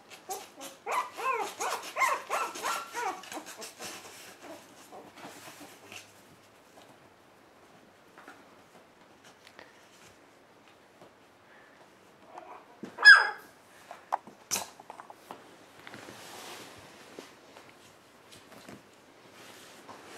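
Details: One-month-old puppies in a play pen, filmed indoors on January 7th: a quick burst of high, harmonic whimpers and yelps over the first few seconds, then quiet rustling broken by a sharp knock.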